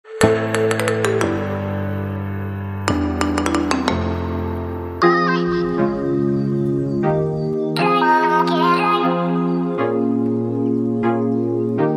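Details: Ambient synthesizer music with bell-like chimes and sustained chords fills the recording, with no animal sounds audible.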